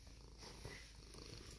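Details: Domestic cat Sylvanna, a pet indoors at home, purring while seeking attention after jumping into a photo shoot of a leather tote bag; steady low rumbling purr with soft pulsing texture and faint background hiss.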